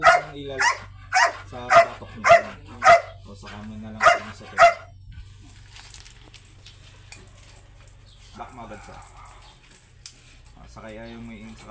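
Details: Barking Belgian Malinois, called aggressive, at a stud service: about eight evenly spaced barks, then a person talking as the dog falls quiet.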